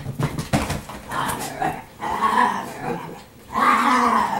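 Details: Italian Greyhounds at home on laundry day, including Sparkle and Timmer, growl and whine in short bursts, with mid-pitched wavering tones swelling and fading and a loud final stretch; a person talks to them indoors.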